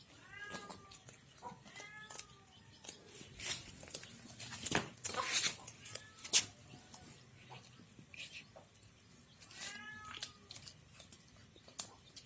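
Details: Village cats sharing one fish head between them; a run of short rising-falling meows early on, a noisy burst of clatter and rustling midway, then another cluster of meows, with a person talking in the background.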